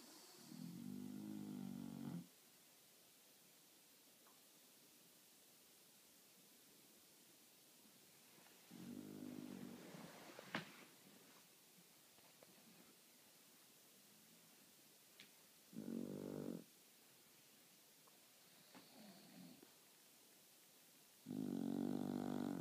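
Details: Two bulldogs, Marley and Lola, napping between meals indoors; loud, low rumbling snores with a buzzy harmonic tone come in long separate bursts several seconds apart, with quiet breathing gaps and faint small clicks between them.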